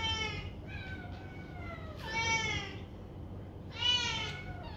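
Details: Foster kittens from two litters playing indoors in a new banana-shaped bed; several high, harmonic meows, some falling in pitch, one drawn out and wavering, with a low steady background hum.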